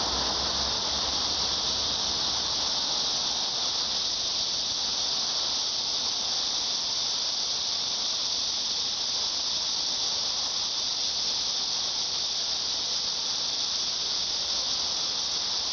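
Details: Cicada song as an even, high sizzling drone sustained throughout, constant in pitch and volume, with a slight low hum at the very start.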